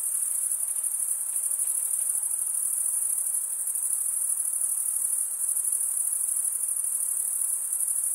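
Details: Crickets stridulating, males rasping one wing's toothed vein across the other; a dense, steady, high-pitched shimmering trill fills the whole stretch without pause, with faint softer hiss lower down.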